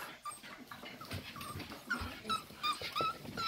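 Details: Staffordshire Bull Terrier puppies, six weeks old, recorded on 11 December 2023: thin high whines repeated every fraction of a second, growing more frequent and stronger toward the end, over soft rustling and low bumps.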